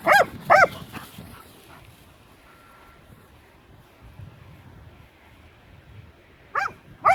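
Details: Guarding his new toy, the Leonberger Aslan lets out two loud, curving, squealing yelps, falls quiet for several seconds, then repeats with another pair of high bending cries.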